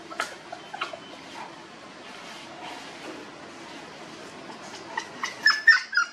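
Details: Homeless puppies in a village: soft scattered sounds at first, then a few high, thin whistled whimpers rising and falling near the end, over a low steady background hiss.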